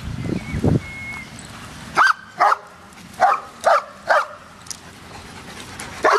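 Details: A dog at a dog park barks in a run of short yelping barks roughly every half second, after a brief whistle-like tone and low rumble at the start.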